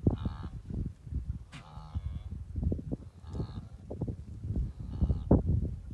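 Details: Migrating wildebeest herd on the southern Serengeti plains near Naabi Hills, Tanzania; many overlapping low grunting, nasal honks and moaning calls blending into a continuous rumble, with a few higher bleating calls standing out.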